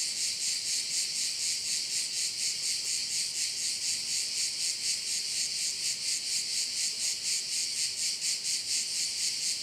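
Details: On the Croatian island of Korčula, crickets keep up a high, rhythmic shrill that beats in even pulses several times a second, steady for the whole stretch with a quiet background.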